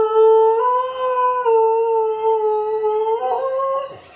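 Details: German Shepherd dog howling indoors in response to a squeaking ball: one long, steady, tonal howl held at a fairly even pitch with rich harmonics, wavering slightly near the end and then fading.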